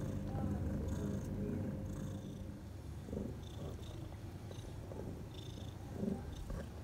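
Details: Mother cat with her four newborn kittens, six hours after birth, purring in the nest: continuous low rumbling purr with soft faint squeaks and rustling above it.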